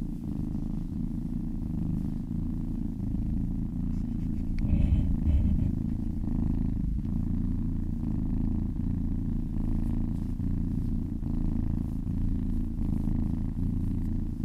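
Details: Contented cat purring while massaged, a long unbroken low rumble with regular breath-like pulses; a faint higher rustle or tap around the five-second mark.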